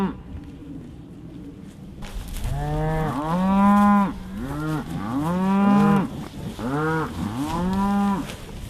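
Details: Cows with calves noticing grass in a patch and coming around on a grass farm near Delaplane, Virginia; after two quiet seconds, a run of arched, rising-then-falling moos from several animals, about three calls overlapping, continuing for six seconds.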